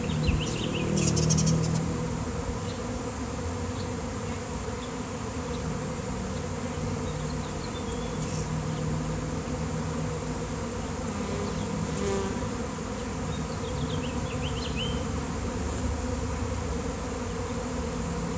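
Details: A huge swarm of honeybees clustering along an electric line on a sunny day: an unbroken low hum for the whole stretch, a louder rustle at the start, and scattered faint bird calls over the top.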